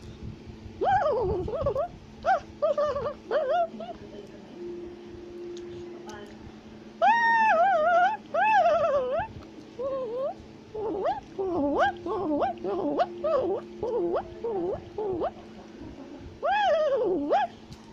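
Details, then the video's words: Tufted capuchin monkey in South America, climbing a tree while shouting and chattering: bursts of clear, arched, harmonic squeals that rise then fall, in clusters with short pauses, over a steady low hum. "Capuchin Monkey is Climbing a Tree While Shouting and Chattering Sounds"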